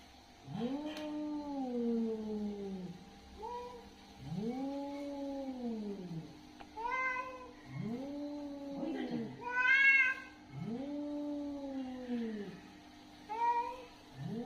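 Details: Angry, aggressive cat during a fight giving long, low, arching yowls that swell and fade roughly every two seconds, broken by sharper, higher screeching cries near the end; steady low hum in the background.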